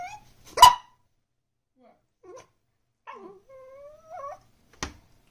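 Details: Pembroke Welsh Corgi puppy indoors making different sounds to get its owners' attention during dinner: a sharp yip, then soft wavering whines and a bending, rising-and-falling whimper, ending with another short sharp yip.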